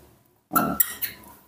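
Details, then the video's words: Hungry newborn baby monkey in a room, crying for milk while its caretaker prepares a bottle; a short sharp squeal with a brief whistled tone, followed by two quick rasping bursts. "Very hu ng ry when I woke up, the sweet voice of a newborn baby monkey was heard again"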